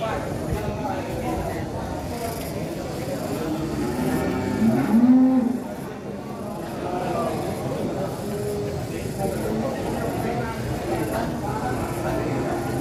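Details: A sacrificial qurban cow weighing about one ton, billed as the largest, being unloaded from a truck in Indonesia; one loud low drawn-out moo swells near the middle over steady crowd chatter, background music and vehicle noise.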